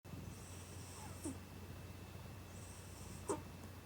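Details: Domestic cat sound asleep with its eyes open, snoring: two soft breaths about two seconds apart, each ending in a faint high whistling wheeze over a steady low hum.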